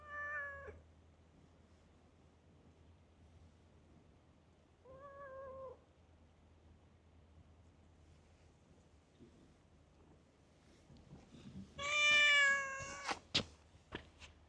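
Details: Chatty stray cat in a park: two short, moderate meows early on, then a loud, harsh, wavering meow with bright upper overtones, followed by a few sharp clicks and taps.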